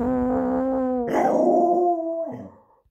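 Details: Samoyed dog howling: a steady, clear tone held for a second, then a louder, rougher higher-pitched wail that slides slightly down and breaks off after about two and a half seconds.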